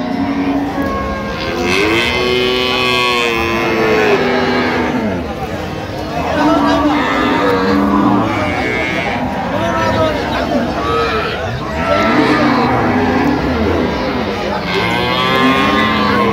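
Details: Cows with calves at the Ambari cattle market, Parbatipur upazila, Dinajpur, on 24 October 2025. Deep, drawn-out moos sound again and again, often overlapping, over constant crowd chatter and nearby voices.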